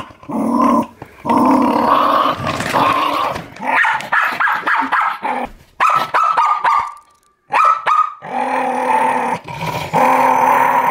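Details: Guarding the monthly dog food bag, a Jack Russell Terrier growls in harsh, uneven bursts, rising into snarls; a brief thin whine-like tone sounds midway and a silent gap falls before the growling resumes.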